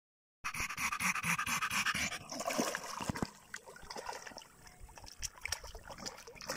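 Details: German Jagdterrier dog in +45°C heat panting in quick, uneven breaths, about two per second, behind a loud rushing hiss that fills the first seconds and then fades.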